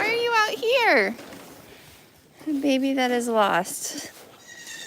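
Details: Goats on a farm giving two drawn-out bleats: the first quavers and slides sharply downward, the second holds a steady low pitch before dropping at the end, with a short quiet gap between them.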